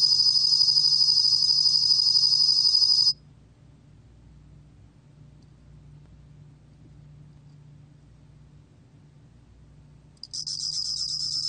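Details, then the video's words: Bell cricket, Korean name 곰방울벌레, 2020 National Institute of Biological Resources: a high rapid-pulsed trill for three seconds, about seven seconds of near silence with low hum, then the trill resumes. "곰방울벌레, 여러번 듣기, 곤충소리"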